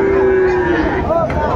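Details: Friesian and cross-bred bull calves at Raniganj cattle market, Dinajpur, Bangladesh, 10 February 2025; a sustained flat moo lasting under a second, followed by a short rising bleat-like tail, with people talking in the background.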